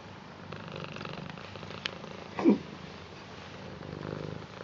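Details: British Shorthair cat, blue coat, purring in welcome and affection for its grandad indoors; a soft, low continuous purr with a short louder bump midway and a brief click just before.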